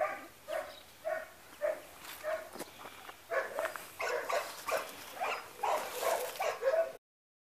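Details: Labrador Retriever giving short, high, tonal yelps about every half second, then quicker overlapping whiny cries that grow louder before stopping abruptly.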